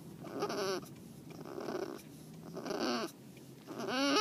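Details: Domestic cat Tomato, a female just spayed, crying on the way home; drawn-out wavering meows, one near the start and louder rising ones near the end, over a steady low hum.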